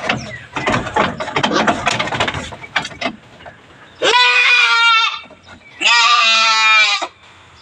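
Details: Goats on a backyard farm, some thin, being given vitamins and dewormer: three seconds of rustling and handling noise, then two loud, drawn-out, nasal bleats, each about a second long with a slightly wavering pitch.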